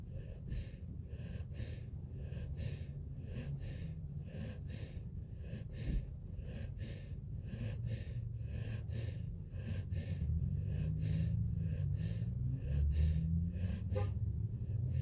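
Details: Sleeping puppy snoring: quick, rhythmic breathy snorts, roughly two to three per second, each a soft airy hiss over a low rumbling tone that grows slightly louder toward the end.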